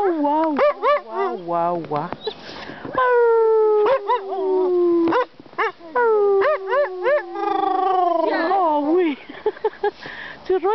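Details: Domestic Siberian Husky singing to its owners: a chatty run of short, wavering, yodel-like 'woo' notes, then two long, clear, gently falling howls separated by choppy yips, with a few bouncing, warbled syllables at the end.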